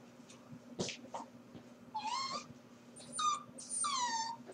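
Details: Corgi puppy left on its own at home while its owners are at work, giving thin, high, drawn-out whimpers that bend upward, in short bursts separated by quiet indoor background and a few soft knocks.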